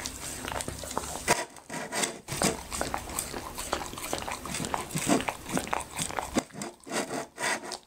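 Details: Happy the Labrador retriever chewing okra and raw meat; bursts of wet chomping and crunching separated by short silent gaps, louder bites rising and falling in uneven rhythm.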